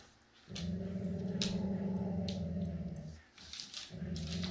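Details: Siberian Husky Jude, a rescue dog awaiting adoption, joined by foster siblings: one sustained, deep, harmonic growling rumble lasting over two seconds, then a short gap and another rumble beginning, with faint scuffling noises.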